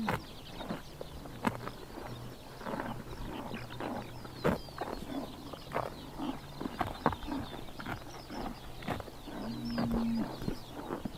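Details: Horses grazing on a summer morning in Tuv province, Mongolia, chomping grass with irregular crunchy, broadband bites and tearing sounds spread through the clip, over a low steady hum and faint distant birds.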